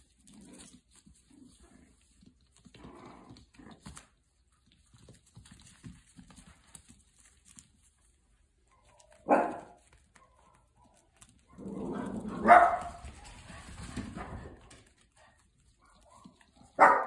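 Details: Playing puppies indoors give short, sharp yapping barks at about 9.5, 12.5 and 17 seconds, with a longer burst of excited yelps and softer grumbling sounds between them in an otherwise quiet room.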